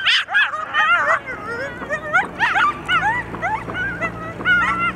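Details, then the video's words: Coyotes howling and yipping together in response to sirens; a chorus of wavering, overlapping high yelps and quavering howls bursts out in repeated surges, with a low steady hum beneath. "Sirens lead to howls and yips in a united front"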